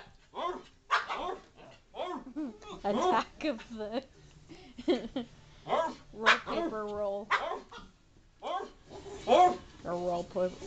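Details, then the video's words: Pet dog going crazy, reacting to people talking through a paper wrapping-paper roll: short, sharp barks and yips in quick irregular bursts, interleaved with the owners' voices speaking close by. "My dog going crazy as we are talking in a paper tube"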